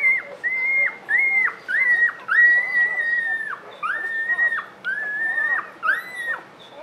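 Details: Newborn puppy cries: thin, high, whistle-like wails, each drawn out for under a second and flattening before dropping off, repeated about every half second to second in a steady insistent series.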